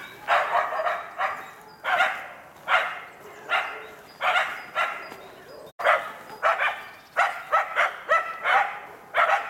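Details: Karelo-Finnish Laikas, two dogs aged two years and eight months, baying at a wild boar in an enclosure while training for working trials; sharp, hoarse barks repeated roughly every second, sometimes in quick pairs, with a brief gap midway.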